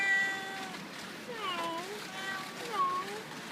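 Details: Havana Brown cat named Gauderic in Bad Gastein gives two drawn-out meows, each rising then falling in a bending arc, the second shorter; a human voice speaks briefly at the start.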